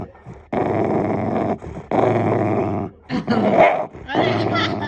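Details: A pet Shiba Inu growls like a revving engine: drawn-out, rough, throaty rumbles repeated with short breaks, the last bursts rising slightly and sounding more strained.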